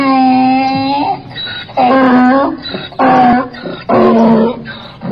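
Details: Donkey (Equus asinus) brays, loud harmonic 'hee' notes alternating with harsh, breathy 'haw' intakes.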